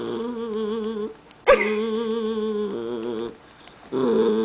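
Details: A pet Jackshund, described as a little temperamental, crying and growling at his granny indoors; long, wavering, moaning whines rich in overtones, broken by a sharp, yelping rise, a pause, then a renewed drawn-out cry.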